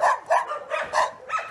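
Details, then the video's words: Puppies at the Shaggy Soul no-kill shelter in Russia, a volunteer-run refuge for dogs and cats, give five quick, high, whining yelps in a rapid series, each rising and falling, with a faint voice in the background. "Они кричат безмолвно... _puppies"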